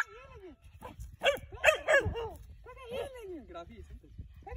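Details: Dog being trained to hunt tegu lizards outdoors in a rural setting, giving a few sharp, harmonic barks and yelps in a quick cluster, mixed with curved whining tones and a man's voice urging it on.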